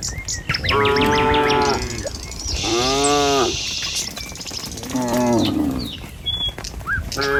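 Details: ['Tame cattle herded along a village road in the morning on their way to a field to feed: several drawn-out harmonic moos, each about a second long, arriving every two seconds or so, with bird chirps and twitters overhead.']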